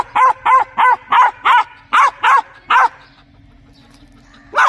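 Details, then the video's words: A dog barks loudly and steadily, eight evenly spaced sharp barks in under three seconds, a short silence, then one final bark. "DOGS BARKING REALLY LOUD"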